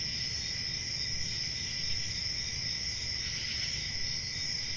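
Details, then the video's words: Summer night crickets in a forest setting, sustained sharp high trilling from many insects blending into a continuous chorus, with low rumbling noise underneath. "Summer Night Cricket Sounds"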